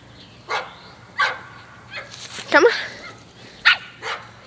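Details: Pet dog Miah, a female, plays soccer outside, nudging the ball with her nose. She lets out five sharp, separate yipping barks about a second apart, with a person's encouraging voice mixed in.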